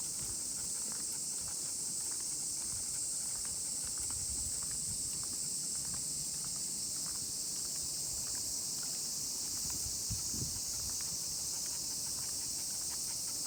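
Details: Unbroken high-pitched drone of many cicadas singing during a walk with a miniature pinscher, with scattered footsteps, rustles and a low thump partway through.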